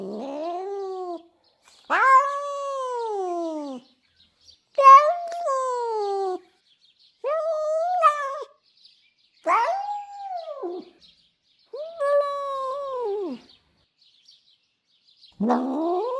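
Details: A female domestic cat, an absolute lunatic full of enraged, crazy sounds: seven long drawn-out wailing meows, each one to two seconds, arching up then sliding down in pitch, separated by short silences.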